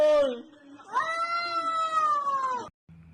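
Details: Cat making an odd, weird noise: a short falling meow, a pause, then a long sustained wail of about two seconds that slowly sinks in pitch before stopping abruptly, recorded indoors.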